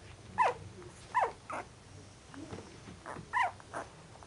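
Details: Second-week puppies at a kennel giving short squeaky yelps, four or five quick high cries spaced irregularly about a second apart, with faint softer squeaks between them.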